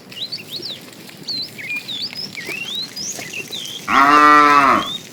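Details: Small birds chirp and whistle quietly before a tame cow lets out one firm, roughly one-second moo while being herded in the morning toward green grassy fields.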